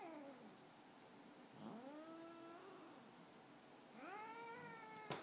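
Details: A male Siamese cat talks in his sleep, uttering murmured, drawn-out meows that slide upward before holding steady or trailing down, in loose bursts separated by quiet gaps, ending with a brief click.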